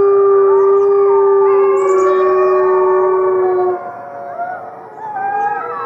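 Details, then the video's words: Chorus of captive gray wolves at the Wolf Conservation Center, South Salem, New York: one loud, steady low howl held almost four seconds over fainter overlapping voices, then softer wavering howls continue. "Fifty Wolves Howling"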